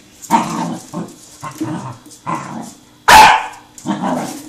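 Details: Young male Pembroke Welsh Corgi, seven months old, chases a rolling tin can, letting out five hoarse barks, the fourth much louder and harsher than the rest.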